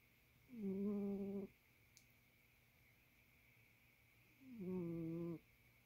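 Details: A male barn cat sleeping indoors snores: two drawn-out, droning breaths about a second long with a steady, buzzy harmonic tone, spaced roughly four seconds apart, in a quiet room with a faint steady hum.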